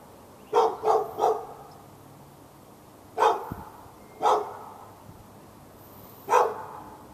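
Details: Pet dog in Raleigh, North Carolina, barking behind a fence at the neighbouring dog on February 15, 2012, part of non-stop barking lasting all morning into the afternoon; three quick sharp barks, a pause, then three single barks spaced one to two seconds apart.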